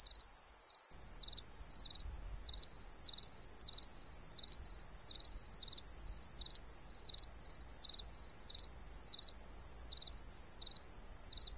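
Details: A cricket chirps at night in short, high pulses about twice a second over a steady insect hiss.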